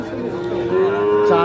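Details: {'text': 'Calf, one of a four-to-five-month-old pair for sale at the Ambari market in Bangladesh, 28 March 2025, utters a steady, slightly rising, tonal moo, loud and clear, with faint music and voices behind.'}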